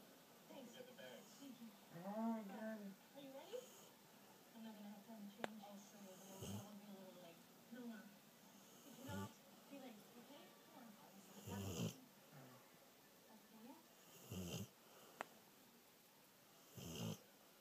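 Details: A sleeping 2-year-old female Rottweiler snores in rough, rasping bursts every few seconds while a person talks softly.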